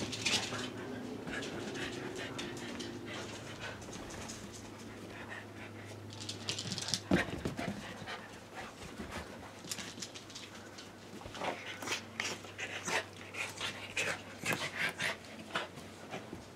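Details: ['Corgi having fun, panting steadily with soft whimpers, a low steady hum underneath and a louder cluster of sharp sounds near the end.']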